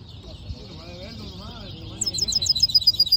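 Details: Hooded siskin mule starting to sing: faint warbling at first, then high, sharp chip notes repeated rapidly and growing louder over the final second.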